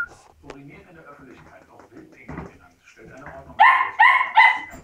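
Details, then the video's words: Labrador Retriever puppies parting from their siblings; quiet indoor shuffling and low murmurs first, then three loud, bright puppy yelps in quick succession near the end. "Abschied von den Geschwistern.Labrador Welpe"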